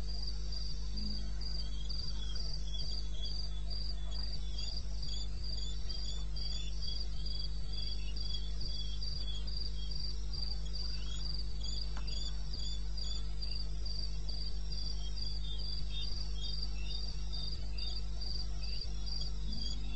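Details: Several crickets calling in the wilderness of eastern Botswana at 2:30 am on 21 May, their high, pulsing chirps repeating rapidly and overlapping throughout, set against a steady low background hum.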